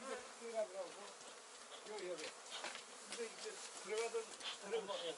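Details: Honey bees at a newly started beekeeping hive, heard as soft low buzzing that wavers up and down in pitch, several short passes rising and fading in turn against a hissy background.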